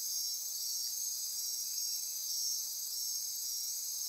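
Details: Dense nocturnal insect chorus at midnight in rainforest near Corcovado National Park on Costa Rica's Osa Peninsula: continuous high, shimmering layered buzzing and trilling bands, steady throughout with slight pulsing, no other clear sounds.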